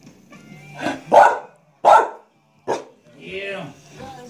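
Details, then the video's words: Dog named Alice barking at the vacuum cleaner while her owner touches it: four harsh barks of falling loudness, then a softer tonal, voice-like sound at the end over a low hum. "Alice likes to bark at the vacuum cleaner as long as my hand is on it"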